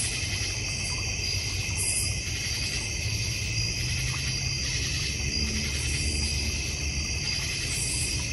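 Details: Crickets chorusing in a North Georgia Mountains backyard with a koi pond and fire pit: steady high shimmering trills in several bands, faint pulsing beats throughout, and a constant low hum or rumble beneath.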